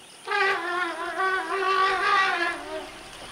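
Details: Young female African forest elephant chasing sitatunga antelope from a bai, a forest clearing. She gives a loud, brassy, trumpeting call of about two and a half seconds, a steady harmonic tone that wavers slightly before fading.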